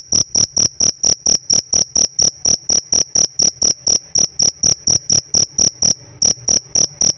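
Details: Chirping of a cricket kept as a pet: a high, ringing, even-toned chirp pulsed rapidly and regularly, roughly three to four per second, with one short gap late in the run and quiet background.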